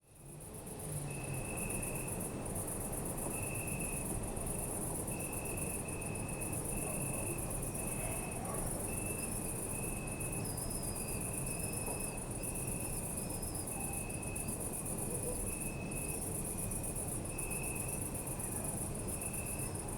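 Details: Crickets chirping at night in a city park, recorded with a Zoom F3 and binaural microphones: a steady high trill band with a pulsing tone near the upper register, intermittent higher chirps, over a low rumble of distant city traffic.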